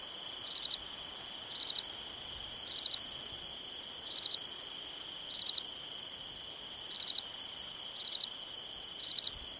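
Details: Cricket chirping at night in summer: eight bright three-pulse chirps with slightly uneven gaps of one to one and a half seconds, backed by a continuous high-pitched drone.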